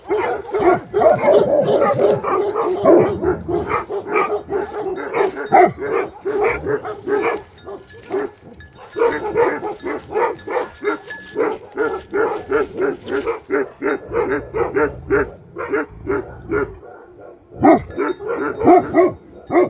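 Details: Nepalese Bhote Kukur guard dogs raise an alarm over a possible leopard or wild boar. Dense, rapid, overlapping barking runs almost without a break, with a couple of short lulls.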